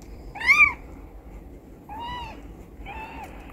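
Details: Indoor shelter for a former carpark stray, mother cat Charlie, and her four newborn kittens; one loud bending meow, then two softer, flatter ones after a pause.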